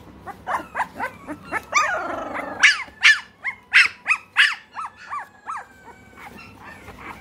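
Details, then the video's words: Three-week-old American Bully puppies kept in Great Britain yelp in a quick series of loud, downward-bending squeals, a few each second, easing to softer whines near the end. "American Bully"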